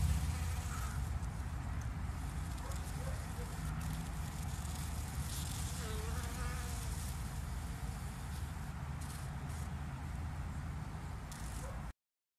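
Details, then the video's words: Low continuous droning hum of bees, rough and steady throughout, with faint higher chirps and scattered clicks in the background. "Il verso delle api"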